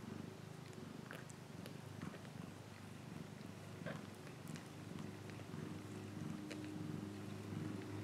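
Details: Pet cat purring in a dense, fast-pulsing rumble, held without pause, accompanied by a constant low electrical-sounding hum and scattered clicks.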